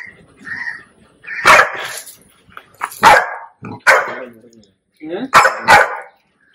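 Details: Puppy whose ears were cropped lets out short, harsh barks in separate bursts during stitch removal at home, with human speech in between.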